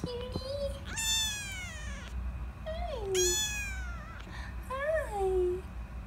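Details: Fifteen-day-old rescue kittens whose eyes have just opened, indoors in foster care: three high, thin meows with many bright overtones, rising then falling, spaced about two seconds apart, with soft low hum underneath and a woman's voice nearby.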